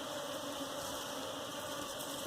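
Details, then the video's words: Honey bees swarming as their hive is captured for beekeeping. A thick, unbroken droning buzz holds steady throughout, with a faint low hum running beneath it. "Bee Hive catching for Domesticating"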